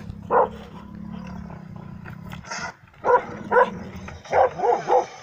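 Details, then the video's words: A dog barking at a mechanical bear during a bear test in Kittilä, Finland, on 13 July 2019: loud, short barks, one early, then a cluster of repeated barks after a pause, over low background rumble. "Konekarhu Jokke petotesti karhutesti machinebear beartest beasttest karhu koira"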